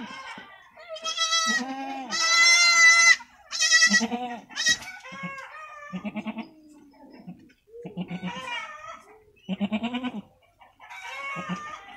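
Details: Newborn goat kids bleating in a pen, a series of loud quavering nasal bleats of varying length, some strained and cracking, with brief pauses between calls and occasional softer cries.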